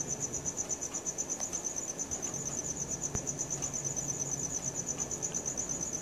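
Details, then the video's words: Night crickets captured with a Samsung Galaxy S4, giving a continuous high-pitched pulsing trill with regular rhythmic beats and a single faint click midway; the surroundings are otherwise calm. "CRICKET SOUNDS | RELAXING SOUNDS OF NATURE AT NIGHT"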